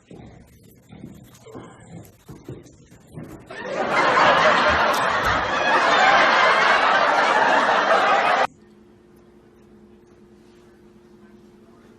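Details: Quiet speech and soft chuckling at first, then a loud broadband burst of laughter and noise lasting about five seconds, ending abruptly in a low steady electrical hum.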